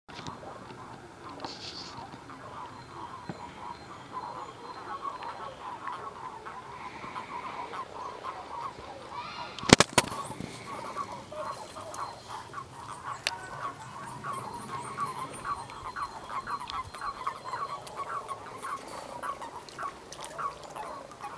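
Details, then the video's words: Common toads mating in a pond, smaller males clasping females, often in groups: a dense chorus of short, rapid croaking notes overlapping continuously from many animals, with one sharp loud click near the middle. "Frösche/Erdkröten bei der Paarung"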